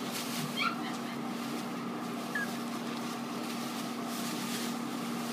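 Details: Cavalier King Charles Spaniel puppies: two brief, high, whimpering yips, one near the start and another about two seconds later, over a steady low electrical hum.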